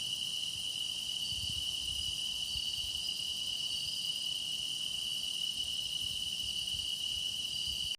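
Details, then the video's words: Grass insects keep up a relentless high ringing song, several overlapping trilling voices above a dominant steady note, ending abruptly as the sound cuts off. "깊어가는 풀벌레 노랫소리"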